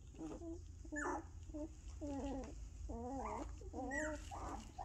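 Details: Two-week-old puppies that have just opened their eyes and begun to walk make repeated wavering, nasal whines, each about half a second long and rising and falling in pitch, over a constant low background hum.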